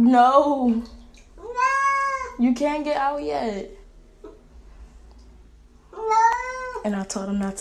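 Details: Pet cat appearing to talk with its owner: several harmonic meows of varying length, some falling and some steady, alternating with a person's speaking voice indoors, with a quiet pause in the middle.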